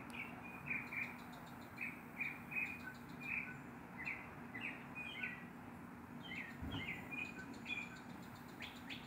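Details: Neighborhood squirrel barking at an adopted black stray cat while a big black dog lies nearby: short, sharp chirping barks in uneven bursts, roughly two to three a second, over a steady low hum.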